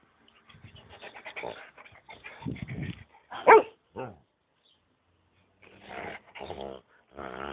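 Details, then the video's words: Huskamute, a husky and malamute cross kept at home, giving a run of deep, rough barks and grumbling growls in short bursts, with one sharp loud bark, then quiet before more throaty vocalizing. "Huskamute at home"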